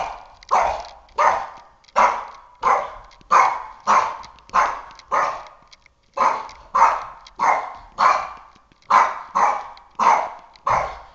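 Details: A three-and-a-half-year-old Boston Terrier barking at a flashlight it is fixated on: sharp, rough barks repeated steadily about every half second to second, with no other notable sounds.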